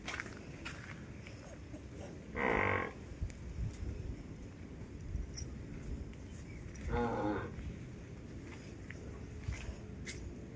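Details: Farm water buffalo kept with a newborn calf on a rainy-season Indian farm; two short, harsh, harmonic bellows roughly four seconds apart, with faint background noise and Marathi voices between calls.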